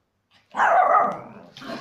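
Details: Chihuahua cross dogs in aggressive play give one harsh, rasping bark-growl lasting about a second, followed by a softer rough snarl. No other sounds stand out.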